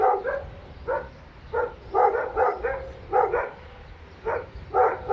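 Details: Three dogs barking inside an apartment building: rapid overlapping barks in short doubled bursts, repeated every half second or so, with brief pauses and a steady low hum underneath.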